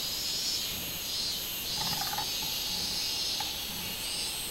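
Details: Robust cicada (minminzemi) on 24 July 2016: a loud, steady high-pitched buzzing that pulses rhythmically, with a few short, faint chirping notes from another animal in the middle.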